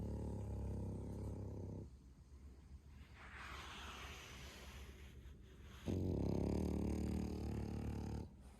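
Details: Bro, an 11-month-old male French Bulldog pet, snoring loudly: two long, deep, rumbling snores with a stacked low harmonic buzz, separated by about four seconds of quieter breathing.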